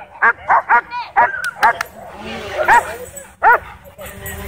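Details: A dog park, with dogs frenzied by a DJI Mavic 2 drone overhead. A quick run of five or six barks opens the clip, then a hissing whir and faint noise, then two more isolated barks.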